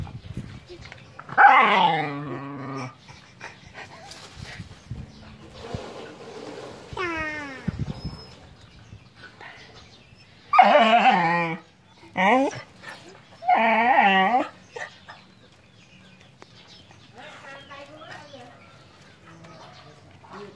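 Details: Puppies breastfeeding: several loud, high, wavering whines with rich harmonics come in bursts of one to two seconds, about five across twenty seconds, with quieter shuffling and faint background sounds between them.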